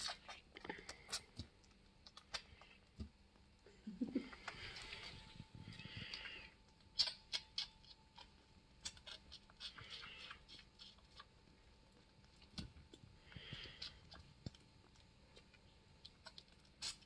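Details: A one-month-old orphaned bushbuck, found wandering alone and now in care, suckles from a bottle with quick wet clicks and slurps in an uneven rhythm.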